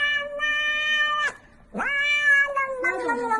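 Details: Pet cat giving long, steady, tonal meows, one held over a second then breaking off, followed by another rising and drawn-out meow with a lower voice and background music underneath.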